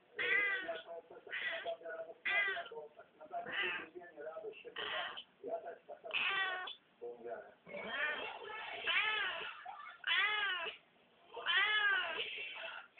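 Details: Black domestic cat, after eating a dragonfly, yowling in repeated long, arching meows that swell and fade, grouped in bursts with short silences between them.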